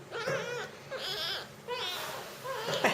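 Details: Young jungle cat (Felis chaus) at feeding time: a run of short, wavering mews mixed with breathy, hissing bursts, coming in irregular spurts about every half second to second.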